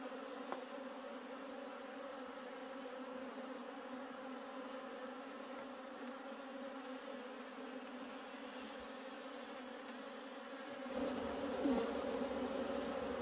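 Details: Wild honey bees at a wild honey harvest make a steady, unbroken drone with layered overtones, joined by a higher thin whine; the hum grows louder and rougher near the end, with a soft knock at the start.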